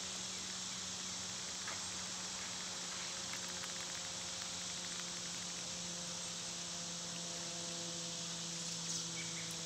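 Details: Loud cicadas in summer produce an unbroken shrill, hissing drone across the whole stretch, with a low constant hum beneath and occasional faint ticks.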